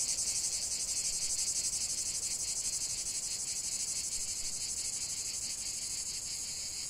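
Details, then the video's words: Cicadas in a dense chorus: a continuous high, shrill buzzing, pulsing about four times a second, steady throughout with no other sounds. "45 min de chant des cigales"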